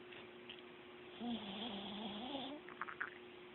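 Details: Sleeping Chihuahua snoring: one drawn-out, whistling nasal tone that wavers for about a second and a half, then a few soft snuffles, all over a steady low hum.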